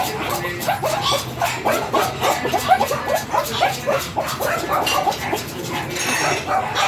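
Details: Small Pomeranian dog at a stud mating in Binalonan, Pangasinan, giving rapid runs of short, high, whiny yips that repeat several times a second, with people's voices faintly in the background.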